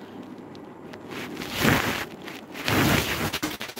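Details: Swelling bursts of rustling and crackling handling noise with a few sharp ticks, and no animal voice.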